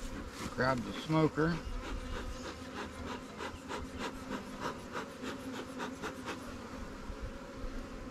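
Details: A recently captured honey bee swarm in its new hive hums steadily while resources are added from stronger colonies; a brief human voice opens, then a pulsing, rubbing buzz continues beneath wooden scraping sounds.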